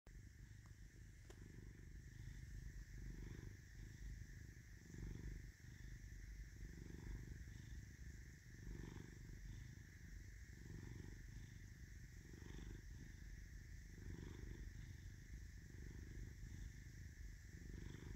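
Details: Caesar, a domestic cat with an M marking on his forehead, purring steadily: a low rumbling drone in long phases, alternating inhale and exhale roughly every second, with faint steady background hum.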